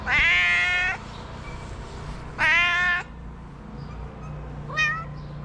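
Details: Cat from a Moroccan shelter for abandoned kittens gives two loud, drawn-out meows about a second and a half apart, each held level and rich in overtones, then a brief, quieter rising mew, with a low hum underneath.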